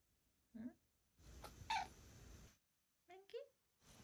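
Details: Female domestic cat at home in Oklahoma, unusually answering her owner instead of hiding: short tonal meow near the start, then a quick double meow near the end, with a woman speaking Korean in between.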